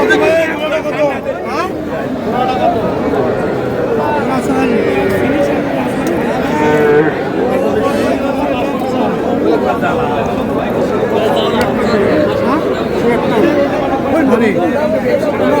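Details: Cattle at a busy Cumilla cattle market in Bangladesh on 21 July, where a farmer buys small bull and heifer calves; low drawn-out moos rise now and then through dense crowd chatter and bargaining voices.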